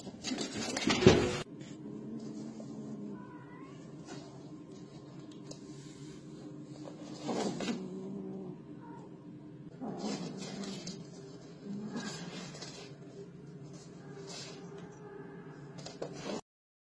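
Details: Cat giving several quiet, low, drawn-out meows spaced through the recording. A loud thump comes near the start, with faint background noise throughout.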